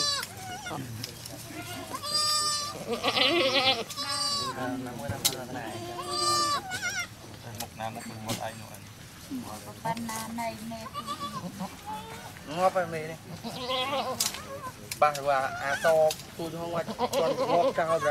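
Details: Goat giving birth at a cow farm, a newborn kid just born; repeated tremulous bleats rise and fall in quick succession, often overlapping, mixed with Thai voices talking throughout.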